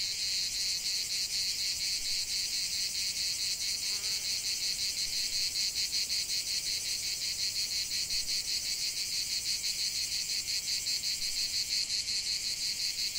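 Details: Cicada song in nature, a constant shrill buzzing drone with quick pulsing, briefly joined by a faint short chirp near the middle.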